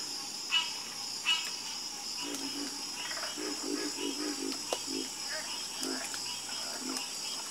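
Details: Frog chorus at night: short low croaks in loose clusters, with a few louder clicks early on, set over a steady high insect drone.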